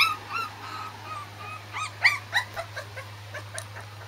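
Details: A fluffy female Corgi puppy, born August 31, whines thinly, then gives a string of short, high, squeaky yips.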